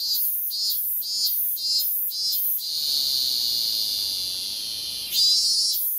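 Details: Cicada singing: loud, high buzzing delivered in rapid pulses about twice a second for the first few seconds, then merging into one steady, continuous shrill drone with a brief surge near the end.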